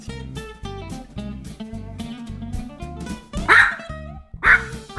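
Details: Pomeranian dog reacting angrily at home while a birthday cake is brought out for its owner; two or three sharp, bright barks about a second apart cut through steady background music.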